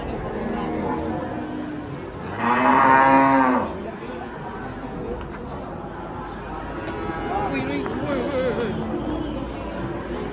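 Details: Raging cattle giving a loud, drawn-out moo of about a second and a half with rich harmonics, rising then falling, followed by quieter low lowing and a steady murmur of human voices in the background.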